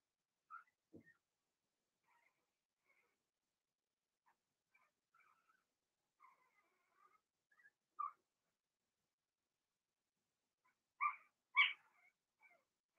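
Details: Young Blenheim Cavalier King Charles Spaniel puppies, one litter of six born in early March, in a home puppy pen during potty training. Faint scattered squeaks give way to two sharp, high yelps near the end, with quiet stretches between.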